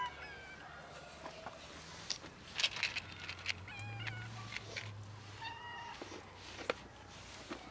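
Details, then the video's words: Kittens and cats nearly raided by a pregnant dog: repeated thin meows from several animals, some clicks and knocks, and a low steady hum underneath. "Kittens and cats ALMOST raided by a pregnant dog"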